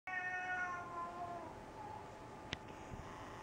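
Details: Hungry male pet cat meowing for dinner indoors: one long, drawn-out meow of about a second and a half that fades away, followed by a short click.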